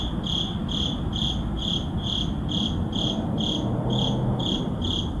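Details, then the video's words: Crickets at midnight in an urban neighborhood, recorded on a Sony a7CII with an ECM-M1 microphone: high, pulsed chirps repeating steadily about twice a second, over a constant low city rumble. "Urban Midnight Crickets"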